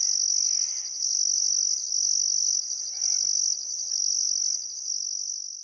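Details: Crickets chirping on a still summer afternoon at sunset beside the Barcoo River in Welford National Park, Outback Queensland, Australia: a dense, high, shimmering trill in roughly second-long bursts with brief gaps, and faint bird calls beneath.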